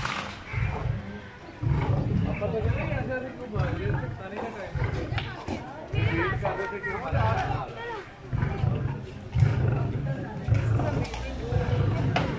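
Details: Captive lions at feeding time as a keeper brings lunch, Lahore Wildlife Safari Park, Pakistan; deep low grunting roar pulses repeat every second or two beneath constant chatter of visitors.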